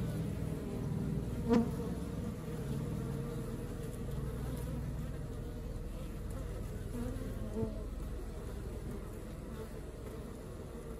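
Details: Honey bee colony at work, a dense low buzzing drone holding steady throughout, with a brief sharp click near the start and another faint knock later.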